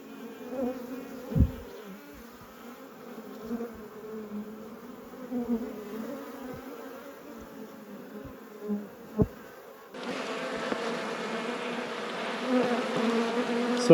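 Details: Honey bees at a thriving apiary during a hive inspection, a steady low droning hum with even overtones, a few soft knocks, then a loud broad rushing noise covering the last four seconds.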